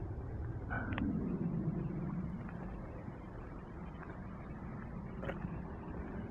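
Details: A steady low rumbling roar fills the recording at a creek after a storm, with a few faint clicks and no animal voice.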